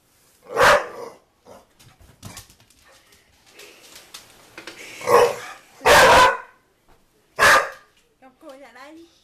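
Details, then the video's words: Dog NuNu barks at the soccer ball it is chasing. Four loud, rough barks come at uneven intervals with quiet thuds between them, and a person speaks briefly at the close. "NuNu Chasing Soccer Ball and barking"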